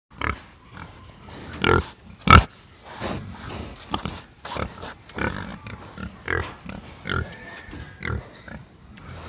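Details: Several pigs on a farm in the Philippines grunt and oink in short, irregular, overlapping bursts; pig (Sus scrofa domesticus) oinks.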